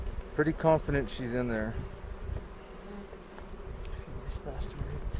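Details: Hive hum of honey bees during a spring 2018 inspection for queen cells near Cochrane. A short burst of talking opens, then a continuous low droning buzz carries on beneath.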